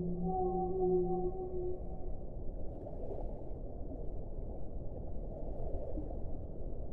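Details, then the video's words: Whale singing a short, steady low tone with stacked overtones, lasting under two seconds, followed by a dull underwater hiss. "1 ora di suono delle balene"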